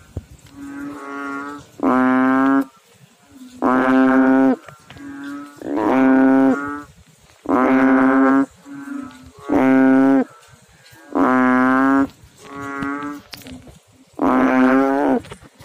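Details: In water, frogs give low, resonant, buzzy calls lasting under a second, one loud caller alternating with quieter ones so that notes come about every second across the clip.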